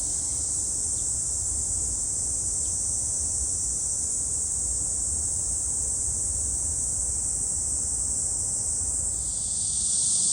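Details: Cicadas at Gwangalli Beach in dragonfly season: an even, high-pitched sizzling chorus running without gaps, with two faint brief chirps early on, and a shift to a brighter, louder buzz in the last second.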